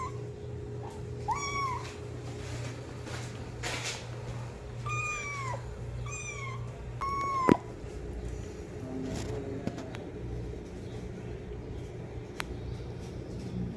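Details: Young kitten calling loudly for its mother: four bright, falling meows in the first half, the last one longest, then quieter rustling and a low constant hum with occasional taps.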